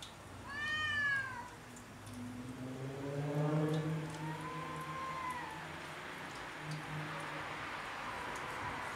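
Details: Cats quarrelling over territory on house roofs: a high, wavering yowl with rich overtones rises and falls, then gives way to a long, lower, moaning growl that drags on for several seconds over steady background hiss.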